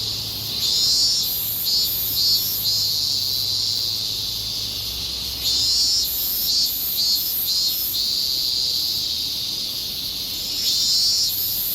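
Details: Higurashi cicada song from a Japanese summer: shrill, high, pulsing phrases that swell and fade in clusters over a continuous buzzing background chorus, with a faint low hum.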